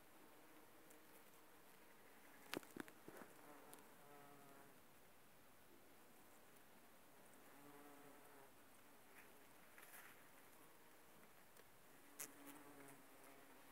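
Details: Bumblebees working aconite flowers: a low droning buzz with steady harmonic tones swells in and out as the insects hover and move between blooms, with several sharp clicks and soft rustling.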